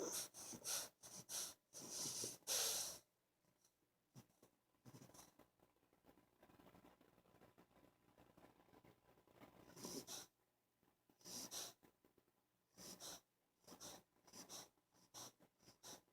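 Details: An 11-week-old English Bulldog puppy, stretched out asleep on a bed, snores in loud, wheezy, snorting bursts that come in uneven runs.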